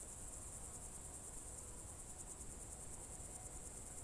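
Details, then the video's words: June evening crickets at Novye Buregi in Russia's Novgorod Oblast, 2023, trilling in a shrill, rapidly pulsed, unbroken band above soft low background noise. "Звуки природы , сверчки"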